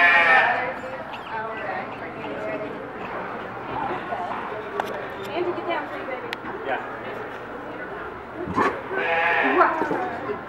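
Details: Piglets only days old at Reston Zoo, from two litters born Monday, let out bursts of shrill squealing at the start and again near the end, while visitors talk nearby.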